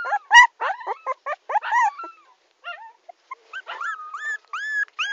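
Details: Tommy, a puppy, crying: clustered sharp yelps followed by a quiet pause, then drawn-out rising whines, each curving upward and holding briefly.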